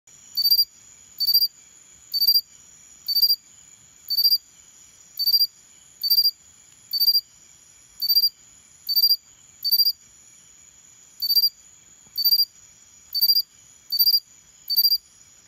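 A Xenogryllus cricket repeats short, high, ringing chirps, about one per second, over a faint steady hum.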